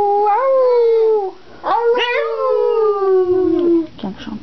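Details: Boston Terrier singing on request, a long drawn howl gliding gently downward with rich harmonics, two sustained phrases separated by a brief break, then short whimpering notes at the end.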